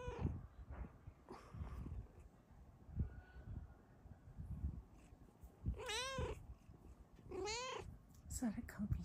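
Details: Happy female cat lying on top of her sleeping owner indoors, giving two drawn-out, wavering meows late on, over a low rumbling purr and quiet room noise.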